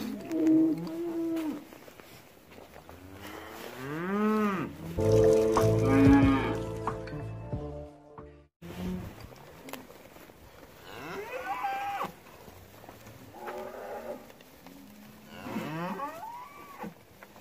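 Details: Cattle lowing repeatedly, with long wavering moos that swell and slide in pitch, partly overlapped by steady musical tones in the middle section.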